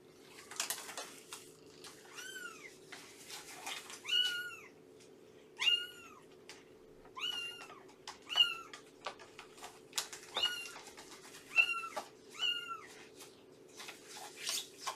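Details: Adult female cat, estimated two years old, a rescued mother of three-month-old kittens, meowing on a morning visit indoors; about eight clear, arched, slightly nasal meows repeat roughly every one and a half seconds over faint room hum.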